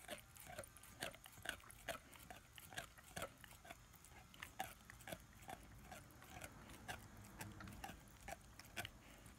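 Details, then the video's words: Ten-month-old German Shepherd and Labrador cross puppy chewing its first bone indoors: a steady run of sharp crunching and gnawing clicks, about two a second and unevenly spaced, close up and quiet. "ASMR Dog chewing on bone"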